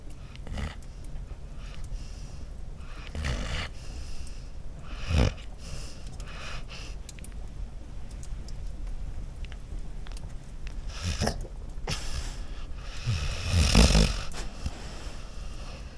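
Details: Sleeping dog at Christmas giving low snoring breaths, with snorty raspy bursts spaced several seconds apart, the loudest near the end, and a quiet steady background between them.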